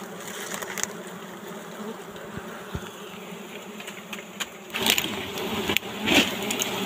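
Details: A wild honey bee colony, its big nest tucked under leaves, drones while being harvested for honey in the forest; a dense, even hum that swells, with bursts of rustling and crackling noise toward the end.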